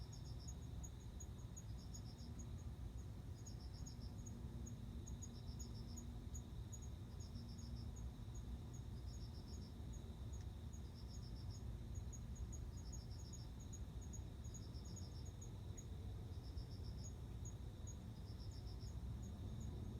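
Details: September 29 recording of a male cricket singing so a female will accept him for mating: evenly spaced high pulse groups of about four notes every one to one and a half seconds, steady fine ticking, persistent low rumble.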